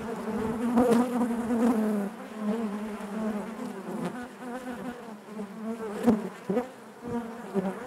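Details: Buzzing of honey bees in their hive, a rich droning hum that is loudest in the first two seconds, then steadier, broken by a few sharp ticks and buzz swells.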